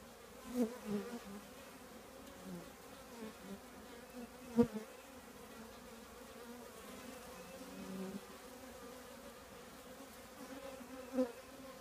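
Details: Honey bee colony nesting in an old trash can: a steady low droning hum with layered harmonic tones, broken by several louder passing buzzes of single bees, the sharpest near the five-second mark.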